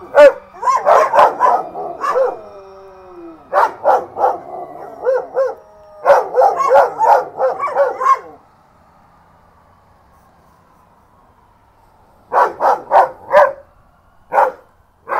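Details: Two Belgian Malinois, Herc and Frey, howl along with sirens: bursts of wavering harmonic howls with yelps and barks, falling silent around eight to twelve seconds before a final run of short barks.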